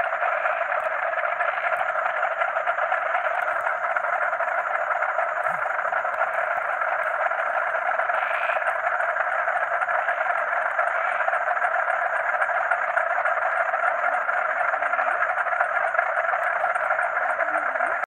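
A dense night chorus of frogs croaking together, with a thin steady trill of crickets high above.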